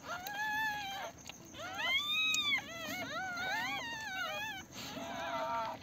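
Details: Newborn Pomeranian puppies on their first day, born at home, whimpering in high, arching whines that rise and fall, several overlapping cries with brief gaps, over a low steady background hum.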